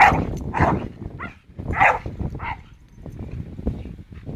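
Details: A Staffordshire Bull Terrier named Charlie, swinging on a rope swing, lets out a few sharp harsh barks and yelps in the first two and a half seconds, followed by quieter low rustling and thuds.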